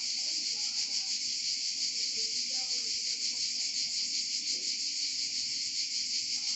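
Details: Cicadas singing in Provence, a dense, continuous buzzing drone high in pitch that barely wavers, with a faint pulsing texture throughout and no other clear sounds.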